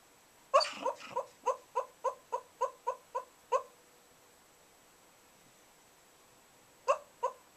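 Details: Sleeping whippet Bug lets out a quick run of about ten high, squeaky whimpers, the first broader and louder. A pause of a few seconds follows, then three more squeaks in a quiet indoor setting.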